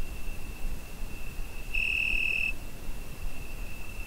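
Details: Cricket on a summer night, recorded with a Zoom H5: a continuous thin, high trill that briefly brightens into a single louder shrill burst midway, with steady low rumble beneath.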